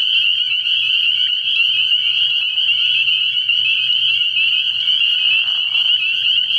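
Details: Early-year night at a frog pond, where massed spring peepers keep up a constant high-pitched peeping that merges into one bright, steady trill. A faint lower murmur briefly shows near the end.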